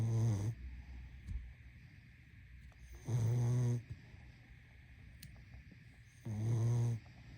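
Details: Sleeping pug snoring: three deep, rattling, buzzy snores about three seconds apart, each lasting roughly half a second, over a steady background hum.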